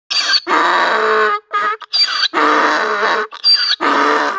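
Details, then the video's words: A donkey in the village of Brestica, hamlet of Aluge, at the foot of Pusti Lisac mountain, brays in loud, harsh, rasping bursts that alternate between a high wheeze and a lower honk. "DONKEY Sound"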